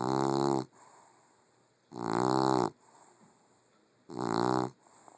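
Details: A puggle sleeps and snores heavily. Three strong, grating, harmonic snores, each lasting over half a second, come every two seconds with near silence between.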